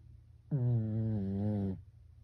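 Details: A single sleeping house Pekingese's snore, sounding much like a human snore: one steady, low, buzzy drone of just over a second, sharply starting and stopping, with quiet room hush around it.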